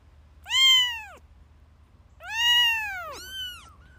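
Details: Kittens meowing: two drawn-out, arching high meows a second and a half apart, the second followed at once by a shorter, thinner mew, over a faint low hum.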